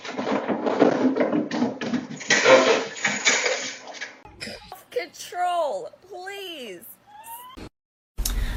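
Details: Domestic cat indoors in a small room: after several seconds of rustling and muffled noise, a run of short, arching meows follows, each rising then falling in pitch, some overlapping, ending with a sharp knock.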